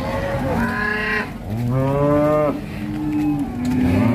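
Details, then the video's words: Angry female cow bellowing: three drawn-out moos in a row, each harsh and strained, the middle one longest and richest, with short pauses between. "SAPI BETINA NGAMUK SEPERTI BANTENG MATADOR"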